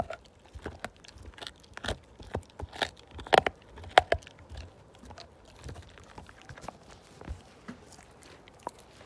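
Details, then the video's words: Slim, a Siberian Husky, tearing a bone down indoors: irregular crunches and clicking bites about a hundred per minute, loudest in a cluster midway, with softer gnawing between. "ASMR My Husky Tear This Bone Down To Nothing!"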